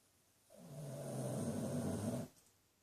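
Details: Buddy, a rescued 13-year-old Shih Tzu/Pug cross, snores while asleep indoors: one long, low, rumbling snore lasting almost two seconds, steady and throaty, with a quiet room around it.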